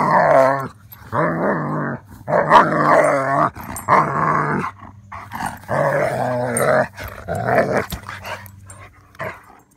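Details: German Shepherd riding through a car wash for the first time gives repeated throaty growls, about seven bursts over ten seconds, some wavering and whine-like, over a steady low machine hum.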